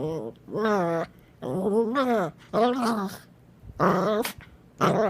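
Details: Puppy making weird noises in a small room: a series of short, rising-and-falling whining yelps, roughly one per second, separated by brief pauses.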